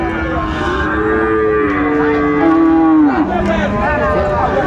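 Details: Sahiwal bull calves, about six to seven months old, for sale to Dhaka farmers on 29 December 2024. A long steady moo lasts about three seconds, then slides down to a lower bellow, with crowd murmur behind.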